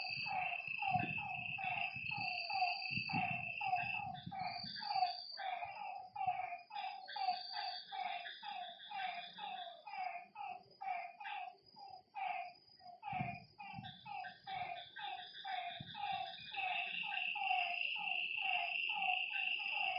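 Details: A lakeside frog chorus after dark, with many short croaking notes tumbling quickly over one another, some clusters briefly higher, while insects keep up a high continuous hum and intermittent buzzy trills; soft low rumbles early on.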